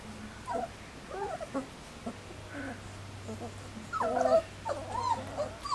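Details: Three-week-old Standard Poodle puppies, first day outdoors, give scattered soft whines, then a louder cluster of wavering squeals near the end, with a low steady hum behind.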